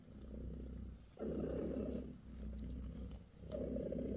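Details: Short burst of deep, grainy purring from Bassy, British shorthair mother with her kittens, jumping louder after a quieter opening and then pulsing twice more.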